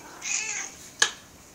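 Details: Hungry 16-year-old female domestic cat wanting food, indoors, giving a short soft meow followed by a sharp click, with a person coaxing her about a snack.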